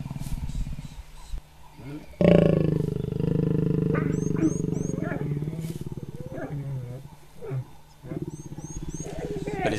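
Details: Wild lions, a male and female, mating, with the male biting too hard and the female retaliating. A sudden loud, rough, rasping snarl bursts out and rumbles for about three seconds, then shorter low grunting growls follow over a steady engine hum, with a man speaking.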